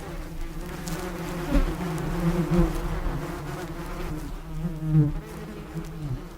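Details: Continuous buzzing of a bee, a low humming tone with rich overtones that wavers in pitch and loudness, louder bursts around one and a half, two and a half and five seconds.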